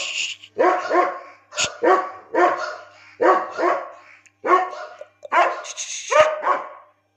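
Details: German Shepherd aged 17 months, in Lucknow, India, giving a steady series of loud, harsh barks, roughly one every half second to second, some doubled, with a sharp click-like sound in between.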